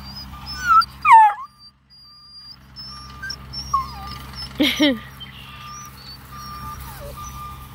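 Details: Bluetick Coonhound puppies at a scent hound breeder in Ontario, Canada, reacting to someone sneaking up without talking: short, high, wavering whimpers early on, then a sharp harmonic yelp, over a steady electronic beeping tone and low mechanical hum.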